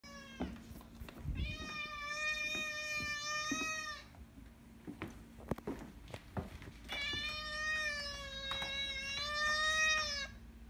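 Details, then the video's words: Domestic cat giving two long, drawn-out meows, each lasting over two seconds, steady and tonal with rich harmonics, separated by a pause with faint clicks and rustles; a low indoor hum underneath. "long meows"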